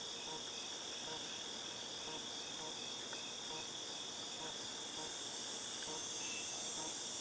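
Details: Chorus of cicadas in August 2018: a continuous, high, shimmering buzz at constant loudness, layered with a thin steady whine and a few faint ticks, over soft low background noise.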